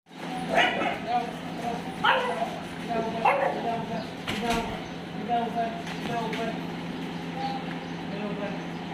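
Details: Dog at a dog hostel in Jodhpur, recorded 5 May 2022, giving three sharp, harmonic barks spaced roughly a second and a half apart over a steady low hum and murmuring background noise.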